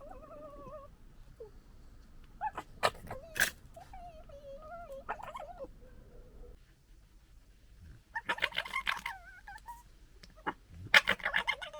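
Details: Local fox family fighting and disagreeing: wavering whines, sharp clicks and bursts of harsh gekkering chatter, a quiet pause midway, then two loud rasping scuffles.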